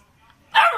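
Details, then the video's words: Pet Labrador Retriever puppy gives a single loud, sharp bark that begins halfway through after a quiet stretch and breaks off at the end. "barking Labrador puppy"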